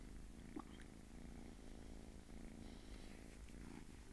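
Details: Small domestic cat purring steadily indoors, a continuous low rumbling vibration with fine rapid pulses throughout, a faint brief click near the start.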